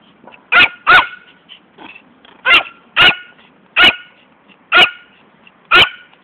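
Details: Poodle named Fani barking while chasing a ball she never brings back; sharp, bright barks, some in quick pairs, spaced about a second apart across the stretch, with a quiet background.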